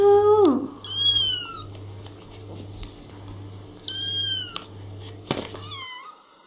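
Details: Little kittens meowing and talking indoors: a loud falling mew opens, then high arched harmonic meows near one and four seconds, a short rising squeak near five, over a steady low electrical hum.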